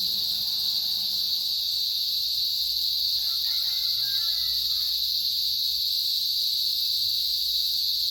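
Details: Constant, shrill buzzing of chirping cicadas holds level for the whole stretch, with a second thinner band higher up; a brief faint tonal call appears near three to five seconds under the insects.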